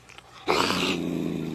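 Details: A cat makes a noise likened to a radar: a sudden, sustained rasping growl with a steady low hum beneath it, lasting about a second indoors.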